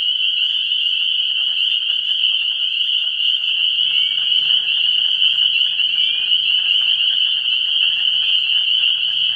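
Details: Frog chorus from a vernal pool in pre-spring, March 17, 2016: shrill, steady, unbroken high peeping from countless frogs, a brief sliding note near the middle, and a soft low rumble partway through.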